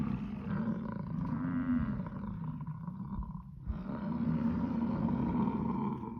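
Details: American bison (Bison bison), rut bellow.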